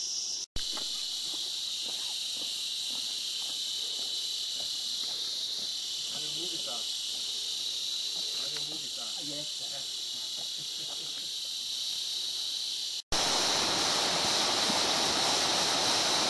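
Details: Background cicadas along the opening stretch of the Kanchenjunga trek keep up a continuous high shrill hum while a man talks over it and footsteps sound, the drone briefly cutting out twice.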